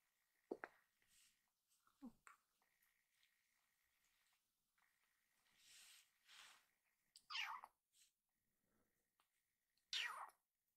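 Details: Rescued kitten meowing loudly, apparently still hungry and asking for more food, indoors; a few short, bright meows spaced through the stretch, the last two strongest, with faint room noise and a steady thin tone in between.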